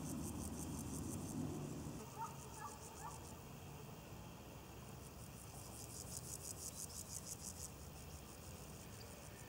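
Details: Grasshoppers, two of them sitting on a leaf at Bodenheim, give dry, rapidly pulsed buzzing phrases at the start and again midway, with a low traffic-like rumble underneath and a brief faint sound near the beginning.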